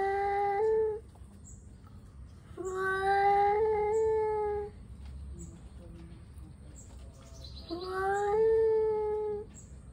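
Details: Angry male cats warming up before a fight, giving three long drawn-out yowls, each wavering and slowly rising in pitch, separated by quiet pauses of a couple of seconds, with faint ticking and rustling between.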